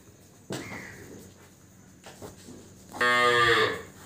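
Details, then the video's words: Buffalo offered for sale by a farmer in Salahpur village, Meerut district, lowing once with a single drawn-out, harmonic-rich moo lasting under a second near the end, after scattered clicks and soft background noise. "बिकाऊ भैंस (for sale buffalo )"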